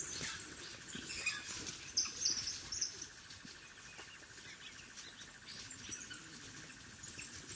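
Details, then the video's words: African wild dog puppies at their den: bursts of high, thin twittering chirps and squeaks, loud then fading, over rustling and a steady insect drone. "The sounds of African wild dog puppies at their den"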